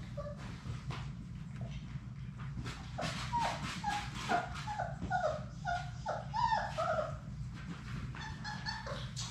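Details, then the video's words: Six young Labrador Retriever puppies from Sadie's litter at play together in an indoor play room. A quick run of short, falling whimpers and yips repeats roughly twice a second through the middle, with scratching paws and a low steady hum beneath. "Labrador puppies at play!"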